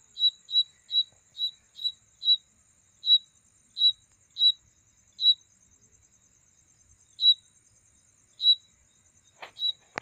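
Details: Insect chirping at night as a mating sound: a fast run of high, sharp chirps that slows and thins out, with a two-second silence. A steady faint high whine continues, and a sharp knock ends the recording.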